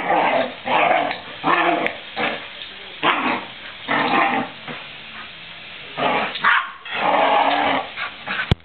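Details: Australian Shepherd puppy named Shay giving rough, growly yips and barks in short bursts about every half second to second, muffled and noisy with sharp handling clicks.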